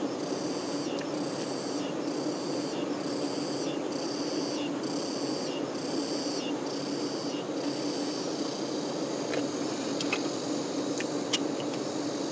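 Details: Honey bee workers tending their queen: a dense, steady low hum fills the clip, with a faint insect chirp pulsing high above about once a second throughout.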